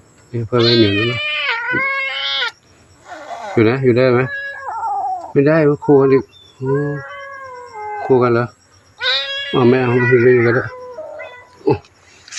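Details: Stray kitten, newly adopted as a temple cat at Wat Pong Chai in Chae Hom, Lampang, mewing in drawn-out, sliding cries, some falling in pitch, interleaved with a woman chatting to it.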